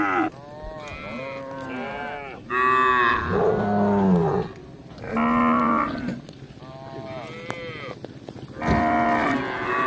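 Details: Tame cattle roaming a village in search of grass, several animals lowing in turn: drawn-out, arching harmonic moos of varied pitch, some low and some higher and strained, separated by short pauses, with faint background noise.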